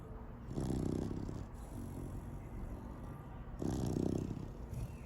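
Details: Raon, a seven-month-old Labrador Retriever puppy, snoring heavily while asleep: two long, low, rasping snores about three seconds apart with a softer rumbling breath between, in a quiet indoor setting.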